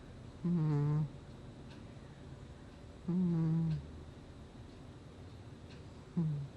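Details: Sleeping domestic cat named Gnusmas, recorded in August 2020, gives three low, droning snores with a slightly whiny, humming tone, spaced about three seconds apart in a quiet room.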